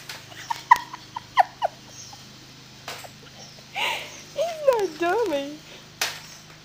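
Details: Pet dog named Jack reacting while his owner's mother sweeps; sharp broom clicks and taps, then a hum and a wavering, yodel-like whine that rises and falls in pitch for about a second before fading.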